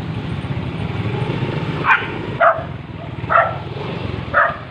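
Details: Street dogs in mating season giving four separate sharp barks, roughly one every half to one second, above a continuous low rumble of a running engine.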